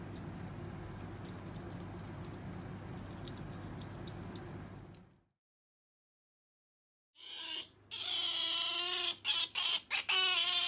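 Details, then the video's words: Sakura, a female pet otter kept indoors, calls out in her love of jerky: after a short silence come loud, shrill, harmonic-rich squeals in quick bursts, a few broken by brief gaps, over a low room hum. "カワウソさくら ジャーキーに対しての愛が止まらない！ A collection of the nonstop love of Sakura the otter for jerky!"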